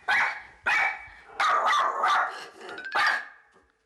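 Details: Byeol, a Miniature Schnauzer, barking at visitors arriving for a sewing class; five loud, sharp barks in quick succession, some drawn out and slightly growly, with fading echo at the end.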